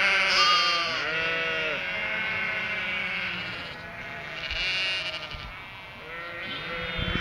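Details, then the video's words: Cotswold ewes and their three-week-old lambs call for food they think the farmer brings; many wavering, quavering baas overlap in a dense chorus, higher lamb bleats mixed with deeper adult voices, some breathy bursts. "Sheep baa-ing"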